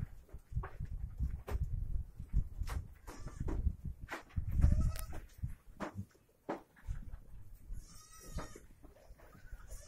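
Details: Osmanabadi goats on a stall-fed goat farm; a short bleat midway, then a longer quavering, wavering bleat near the end, over steady low rumble and frequent thumps and knocks of handling.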